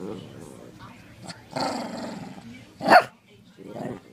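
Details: Mav and Murph, a pair of Shih Tzu dogs, tussling in play. A low grumbling growl is followed by a longer rasping snarl, then a single loud sharp bark and a brief final growl.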